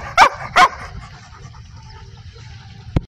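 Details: Dog giving two quick loud barks about half a second apart, then quiet with low background hum and a single sharp click at the end.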